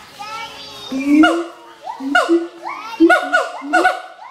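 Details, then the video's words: Mated pair of adult siamang gibbons at Schmutzer Primate Center, duetting to advertise territory: rising whoops climbing in pitch, sharp upward barks and loud booming notes repeated roughly every second. "Duet Song of Siamang Gibbons (Symphalangus syndactylus)"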